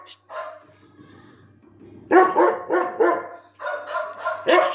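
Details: Seventeen-month-old German Shepherd in Lucknow barking; a brief opening bark, then near-quiet for over a second before a burst of rapid, rough, overlapping barks and another cluster at the end.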